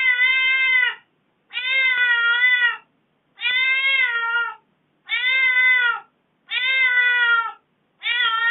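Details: A domestic cat gives a string of long, plaintive meows, each about a second, repeated steadily. It sounds aggrieved after its owner has been away from home for four days.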